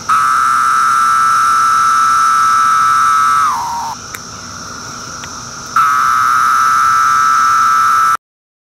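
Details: Magicicada septendecim from Brood II, 2013, calling while on bark; a loud level buzz slurs downward after three and a half seconds, a quieter lull follows, then the strong buzz starts again.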